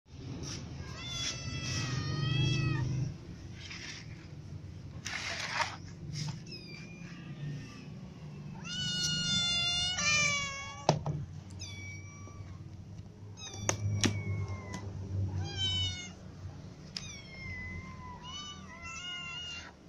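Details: Ginger cat, annoyed because another cat eats all its food, meowing repeatedly: drawn-out, wavering, harmonic-rich cries in clusters, some rising then falling, with low rumbling background noise.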